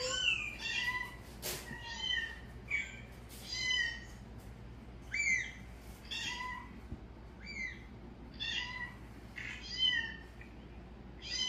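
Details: Cats responding to a calling sound make many short, high, bending meows in quick succession, about one each second. The calls may come from several animals. A sharp click is heard near the start, with a faint steady hum underneath.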